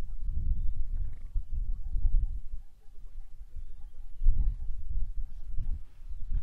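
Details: Wildebeest grunting on the Ndutu shortgrass plains of the southern Serengeti, Tanzania, February 2024. Low, throaty grunts come in clusters, fade briefly near three seconds, then build again with a loud burst around four seconds.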